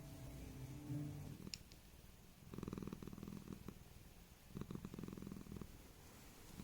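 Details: Tiki, a Thai Korat cat born and raised in Thailand who moved to England at almost 15, purring in low rhythmic bursts of about a second each, separated by quiet pauses, with a faint click early on.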